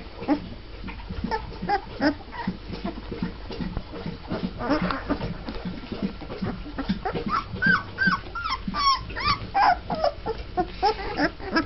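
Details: Twelve-day-old Mastiff puppies from one litter, just starting to walk, whimpering together: a dense chorus of short squeaks and whines, rising into higher, more insistent yelps over the second half.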